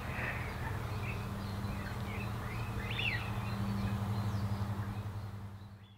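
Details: A female red-tailed bumblebee (Bombus lapidarius) gives a steady, low, droning buzz at 16:25 on 8 April 2018 in the Disselmersch nature reserve, while small birds chirp faintly behind it.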